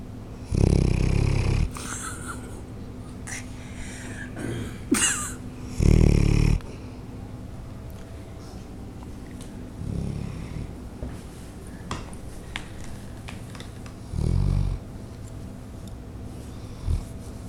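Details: A 7-year-old female Bloodhound, in rescue care in Ontario, snores in deep, rumbling bursts spaced several seconds apart while asleep.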